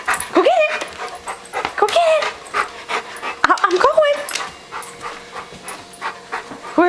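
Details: An aging house dog 'tells' his owner he is hungry with short, rising, whining cries that bend upward in pitch, three in about four seconds, mixed with breathy panting; the owner talks throughout about going to get the food.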